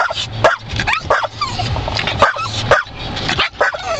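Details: Dog barking and biting at moving windshield wiper blades, giving sharp, rapid yips and barks mixed with thin whining tones, several bursts each second over a steady low rumble.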